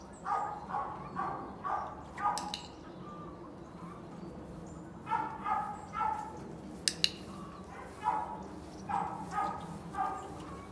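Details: During obedience training, a Border Collie barks repeatedly in short bursts, about one bark every half second across most of the recording, with a brief pause near the middle and a couple of sharp taps.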